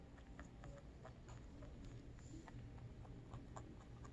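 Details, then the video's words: Lionhead and Dutch mixed-breed pet rabbit eating, recorded super close up: a steady run of soft, rapid crunching clicks from chewing, several per second, over a low, constant background hum. "Rabbit Eating / ASMR / Eating Sounds"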